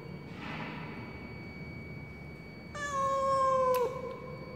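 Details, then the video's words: A cat stranded in a high-rise apartment stairwell utters one long falling meow near the end after a faint rustle, with a low steady hum in the background. "Mèo kêu nghe não lòng kinh khủng"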